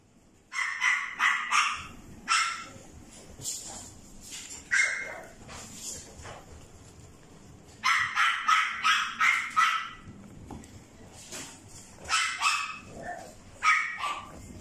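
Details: Female dog with a red coat, born 10 April 2021, barking in sharp, bright bursts, several quick barks in a row, then pauses, then more clustered volleys across the recording, with quieter background noise between.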